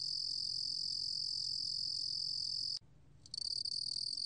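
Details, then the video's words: Lulugom cricket (루루곰귀뚜라미) trilling in a 2020 National Institute of Biological Resources recording: a sustained shrill buzz that stops for about half a second, then restarts in pulsing bursts. "루루곰귀뚜라미, 여러번 듣기, 곤충소리"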